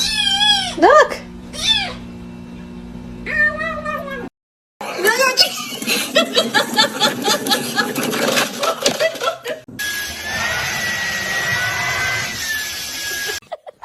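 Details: Kitten meowing: three short, arched meows in the opening seconds, each rising then falling, followed by loud rustling, people talking and a steady hiss.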